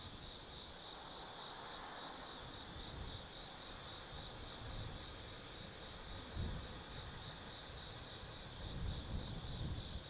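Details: Autumn night insects in the woods of Tsukimi no Mori above the Nobi Plain, Gifu, Japan: steady high shrill trilling with faint pulsed chirps layered on top and low distant rumbling.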